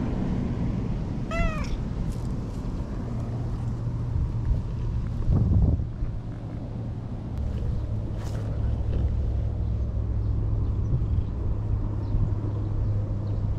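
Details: Lakeside stray cat Anko, brown and white, in Japan, lets out a single short meow early on; the rest is low traffic-like rumble, a few clicks and a brief thump.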